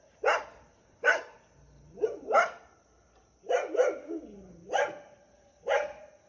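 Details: Countryside dog encountered on the way, recorded unseen: sharp, harsh barks about once a second, some doubled, with a lower whining slide between them in a quiet rural setting.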